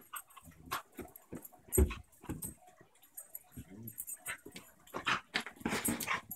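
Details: A new German shepherd puppy playing with her six-year-old sister, a basenji pit bull mix. Short harmonic growls and whimpering yips come in quick bursts, mixed with scuffling, rustling and thumps from the rough play.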